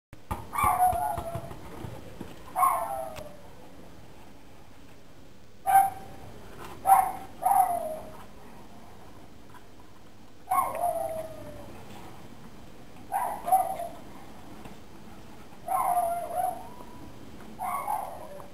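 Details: Boxer puppy giving a series of short, bright yelping barks in pairs and small clusters, separated by pauses of one to three seconds, over a quiet background.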